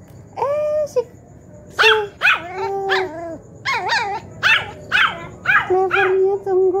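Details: Poodle in a home, answering as its grandmother talks to it: a run of about nine sharp, bending yips and short barks in quick succession, some with wavering pitch, over low room hum.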